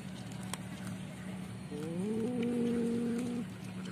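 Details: Hungry stray cat fighting over food it snatched from a pet cat: one drawn-out, low, harmonic moaning yowl lasting under two seconds, rising slightly at the start and then holding steady, over a constant low hum.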